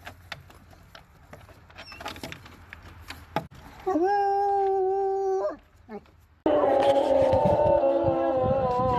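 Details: Bloodhound howling that follows a stretch of quiet talking and thumps: first a level drawn-out howl of about two seconds, then a louder, denser chorus of overlapping howls to the end.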